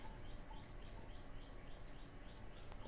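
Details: Orphaned baby Indian squirrel, abandoned by its mother and hand-fed boiled cow or buffalo milk from a dropper: faint, high chirps repeated in a quick series over a steady low hum, with a person softly calling nearby.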